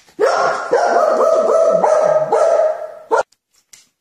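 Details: Dog playing with toy cars gives a continuous nasal whining yowl, rising and dipping in short waves for about three seconds, then a brief sharp yip and silence.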